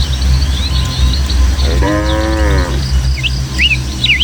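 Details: One clear, level moo of just under a second from a herd of tame village cattle walking home to their pen through Indonesian hill country, followed by quick bird whistles over a low steady hum.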